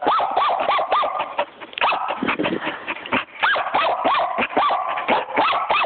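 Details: A female puppy gives rapid, high-pitched yappy barks in quick irregular bursts.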